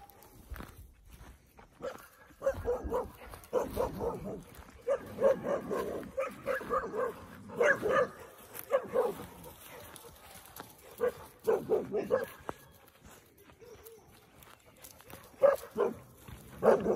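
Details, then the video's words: Sixteen-week-old Cane Corso puppies and their mother getting worked up at pigs that were ready to eat: bursts of deep, harmonic barks in clusters, pausing between volleys, with outdoor farmyard background. "Cane Corso Puppies vs Pigs"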